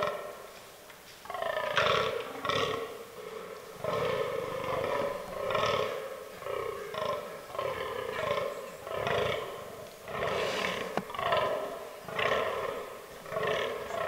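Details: After a second of near quiet, a fallow deer buck in autumn rut starts a long run of rhythmic, croaking groans, about a dozen over thirteen seconds, steady and evenly spaced in the forest.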